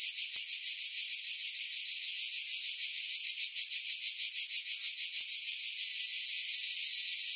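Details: Cicada chorus from pines above Pefkos Bay on Skiros, Greece, in July 2018, Sony RX3 with external mic: steady high-pitched shrill drone with regular throbbing pulses roughly three per second, heavily filtered to remove wind buffeting.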